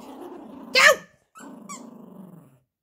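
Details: Playful Yorkshire Terrier puppy tugging a monkey dog toy, giving low continuous growls interrupted by one sharp loud bark-like yip; a faint toy squeak follows.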